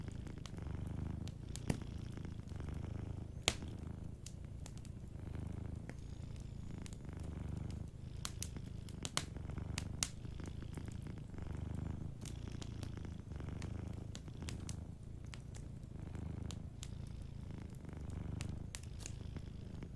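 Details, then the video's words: Soft purr of a dozing cat by a cozy fire, a low, rhythmic rumble rising and falling roughly every second or two, with steady clicking crackles from burning wood throughout. "Warm Fireplace Ambience with a Sleeping Cat 🐱💤Fireplace & Soft Purring"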